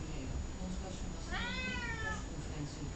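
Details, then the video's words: A single meow from Columbus, a chatty domestic cat, lasts under a second. It swoops upward at the start, then eases gently downward before stopping. A steady low background hum fills the room. "Talkative cat"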